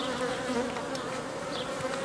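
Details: Honey bees from a colony being reorganised after producing royal jelly and rearing queen cells, in cold weather with dwindling food stores; a loud, steady, low droning buzz with layered tones, holding even throughout before ending abruptly.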